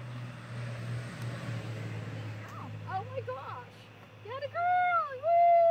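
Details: Newborn Nigerian Dwarf goat kid just after its birth to the doe Emma on a farm, giving short high wavering bleats rising and falling, the last two louder and drawn out, over a steady low hum.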